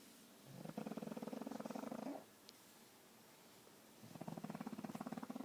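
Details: Pug asleep and snoring, two long rattling snore bursts of fast, buzzy pulses, each lasting about 1.5 seconds, separated by a quiet pause of nearly two seconds.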